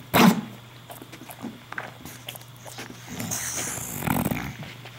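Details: English bulldog hiccuping and snoring indoors: one sharp, loud hiccup burst right at the start, then soft snuffly rasps and breaths, a second noisier burst near four seconds, over a steady low electrical hum.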